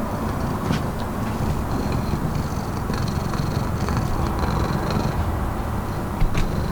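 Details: Charlie, a neighbour's cat excited at a visitor's arrival, purrs close up: a loud, steady low rumble that runs unbroken throughout, with faint higher rustles above it.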